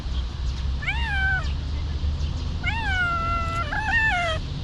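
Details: Homeless stray cat in Ras Al Khaimah, UAE, outdoors, giving two drawn-out meows, each rising then sliding down, the second longer, over a steady low rumble of engine or traffic noise.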